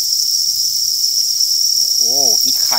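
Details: Farmed crickets raised as economic livestock produce a dense, unbroken high-pitched shrill that holds steady throughout, with a man's voice speaking over the chorus in the second half.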